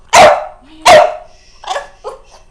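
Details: Pet dog making an odd sound at its owner indoors: two loud, sharp, harsh barks about 0.7 seconds apart, followed by two softer, shorter yelping sounds as the calling fades.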